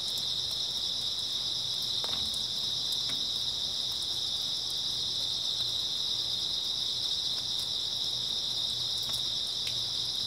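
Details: Early autumn night, with grass insects chirping together in an unbroken, high-pitched ringing drone. Sharp little clicks pop up here and there, and a faint low hum sits in the background.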